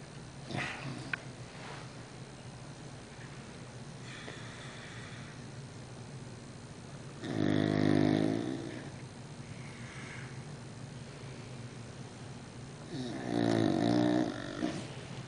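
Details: An English Bulldog with a severe snoring problem snores loudly, each rough, rattling breath rumbling out about six seconds apart.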